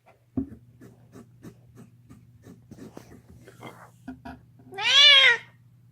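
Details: Indoors, a deaf pet cat gnaws a bone with a series of soft clicking, crunching bites, then lets out one loud, arching scream that rises and falls over half a second; behaviour not shown with earlier bones.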